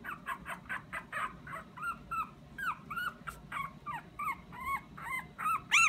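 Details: Small Pomeranian pleading for something with sweet cries: rapid, high, nasal whines that swoop up and down, roughly three each second, with sharper upturned yelps near the end and a steady low background hum.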